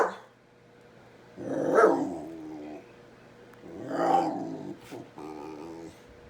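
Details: Pet dog barking at a kitten it seems to want to play with: two harsh, drawn-out barks or growly yaps about two seconds apart, with a faint steady hum beneath and a soft click near the end.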